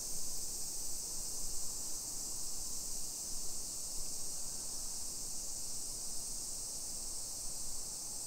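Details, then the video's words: Summer cicadas heard on a suburban walk in Nisshin, Aichi, Japan, 28 July 2021, early afternoon. A steady high hiss runs the whole time over a louder, rough low-frequency rumble of outdoor noise. "Summer Cicadas Sounds"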